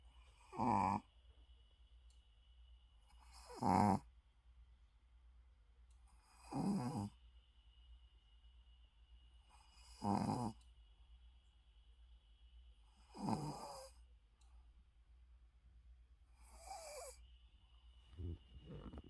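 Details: Sleeping Shih Tzu with its eyes open, snoring in a series of loud rasping breaths about every three seconds, each a broad burst with a steady faint hum underneath.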